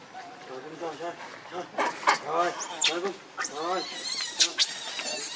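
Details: Monkey named Rainbow, very angry while protecting Lucie from another monkey, Kachoy; a series of short harmonic squeals and wavering cries, rising into louder, higher screeches in the second half.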